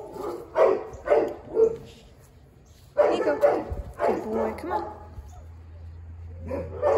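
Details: Huge black Great Dane, recorded 10/08/2022, giving deep chesty barks in clustered bursts of two to three, with pauses between groups; human voices talk over and around the barking, and a low steady hum runs underneath.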